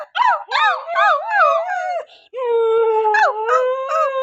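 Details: Siberian Husky kept as a pet howls in a run of quick bending, wavering notes, a short pause, then a long steady tone with a couple of rising breaks, possibly joined by people's voices.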